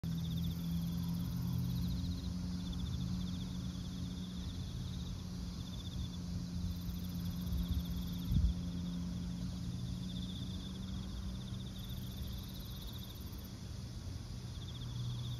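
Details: Crickets in a large autumn chorus: a steady, shimmering high trill runs unbroken throughout, with fainter, higher pulsing bursts fading in and out over a low background rumble.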